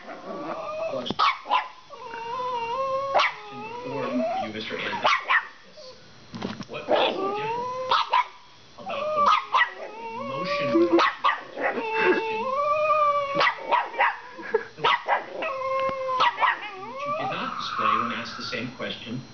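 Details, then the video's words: Pet Shiba Inu guarding two bones from a pestering Chihuahua, giving high-pitched noises while acting like a tough guy. Bursts of whiny yelps rise and fall in pitch, separated by short pauses, with sharper clicks between phrases. "My Shiba Inu makes funny noises at my Chihuahua"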